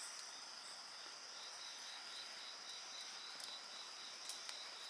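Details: Night insects sing in a steady chorus: a rapid pulsed trill and continuous high ringing tones. Occasional sharp crackles from a bonfire burn alongside.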